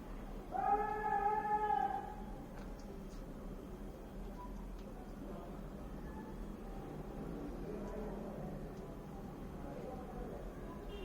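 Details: A 5-day-old newborn Golden Retriever puppy, one of a litter, gives one high, thin, slightly rising whimper, then only faint squeaks follow.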